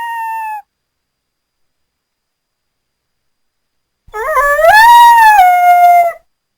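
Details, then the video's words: North American coyote giving a short falling howl, then a longer one that starts with a quavering rise, holds a clear, steady, high pitch, and then drops slightly before ending. "The sound of a Coyote"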